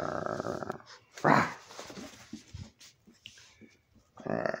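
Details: Old, almost blind 16-year-old Boston terrier at play, giving a single harsh growling bark amid softer snuffling and rustling, with a person's voice before and after.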